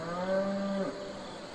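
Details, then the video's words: Domestic cattle on a farm, part of a herd of bulls, cows and calves: a single steady, harmonic moo held for most of a second, ending in a brief downward break, then quiet hiss. "Cow Calling / Mooing / Sound & Behavior"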